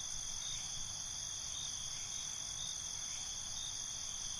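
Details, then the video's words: Crickets calling at night: an unbroken, even, high-pitched shrill trilling in several layered bands, with no clear pauses, over quiet low rumble. "Night ambience, Cricket Conversations"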